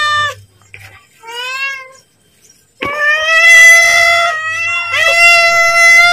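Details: Pet cat calling and asking for food as feeding time nears: a short meow, then a rising, wavering meow, then two long, steady, loud meows with a bright, tonal quality, with brief quiet gaps between them.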